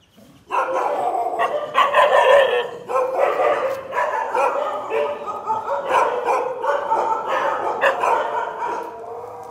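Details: Dog limping on a broken leg, giving dense, overlapping mid-pitched barks and yelps that run almost without pause for about nine seconds.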